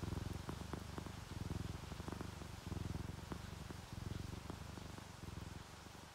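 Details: Tabby and calico domestic cats purring while relaxed and asleep, with rain; low, steady rumbling pulses broken by short pauses, and faint sharp ticks of dripping rain above.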